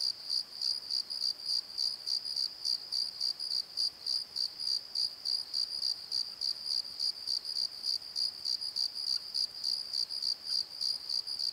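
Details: At night in a valley bottom, as night creatures become active, a cricket chirps in steady, rapid pulses, a high pure trill repeated about three times a second.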